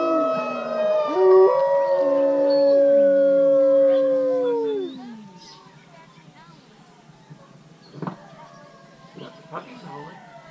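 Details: Gray wolves at Wolf Park, including Bicho and Kanti, join a chorus howl on Howl Night, July 8, 2017. Overlapping drawn-out voices glide downward for about five seconds, then fade to faint human voices and claps.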